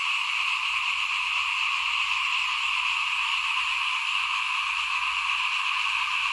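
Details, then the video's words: Frogs calling in front of a house in Thailand at rice-sowing time in 2021; a dense, unbroken chorus holds steady throughout, with bands of sound across the mid and high range and no single caller standing out. "ฟินๆกับเสียงเขียดร้องหน้าบ้าน ตอนหว่านข้าวเตรียมปลูกปี2021"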